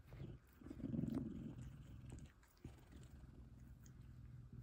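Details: F2 Savannah cat Kumba, a male, purring loudly while cuddling with fellow Savannah cat Taj, happy; a low, continuous rumbling purr with soft rustling and brief clicks.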